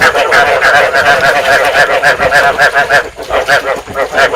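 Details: Rice field frogs calling, a breeding-stimulation sound used as a lure to trap frogs: a dense chorus of nasal, harmonic croaks overlapping continuously, pulsing unevenly about once or twice a second with no pauses.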